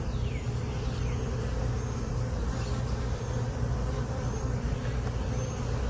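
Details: Honey bee colony buzzing during a late-afternoon hive inspection, with most foragers back inside. These bees moved into the hive box on April 29, 2022. A steady, dense low hum holds throughout, with faint sweeping tones of passing bees above.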